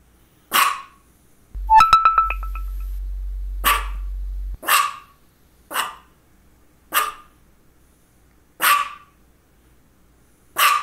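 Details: Misha, a female dog with focal seizures just before and after, barks repeatedly about once a second, while a brief electronic tone with a steady low hum sounds near the start.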